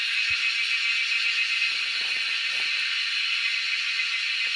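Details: Wild cicadas, being hunted, fill the air with a loud, steady, high-pitched buzzing drone that never pauses.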